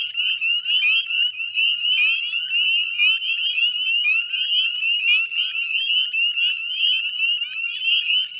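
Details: Northern spring peepers in full chorus at dusk on 18 May in a salt marsh at West Chezzetcook, Nova Scotia, Canada: dense overlapping high rising peeps blend into a continuous shrill ringing, with no other sounds.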